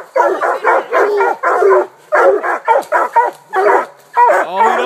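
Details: Walker, bluetick and black-and-tan coonhounds bay at a treed raccoon. Loud, rough barks repeat about twice a second, some drawn out into howling chops, and a short whine sounds near the end.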